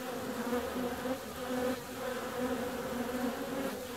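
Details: Honey bees flying out on a warm February day: a steady, full buzzing hum with a layered, banded tone, gently swelling and fading throughout.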